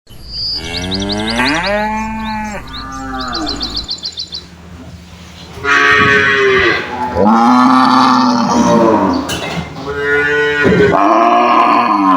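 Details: Cows moo loudly in turn in their pen, long harmonic calls answering one another, with faint chirps early on.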